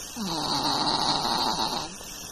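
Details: Chao, a long-coated Chihuahua, snoring: one drawn-out, raspy breath lasting about two seconds, with a hissy upper tone over a buzzing lower rattle.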